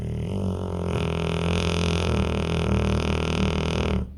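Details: Deeply sleeping pit bull producing a continuous low, rumbling, harmonic snore lasting about four seconds, swelling slightly in the middle and cutting off at the end.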